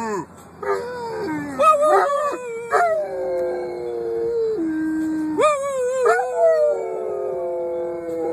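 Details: Dog howling in long, drawn-out tones that rise sharply, then hold and slowly sink, with rich overtones and brief breaks between separate howls.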